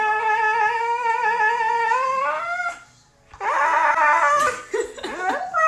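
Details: A Siberian Husky howls dramatically for its owner's attention, a long, drawn-out howl that rises at the end, then a burst of yowling vocalizations.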